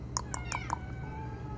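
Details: Several domestic cats together indoors, one giving a short meow after four sharp clicks, with a soft woman's voice and low background hum.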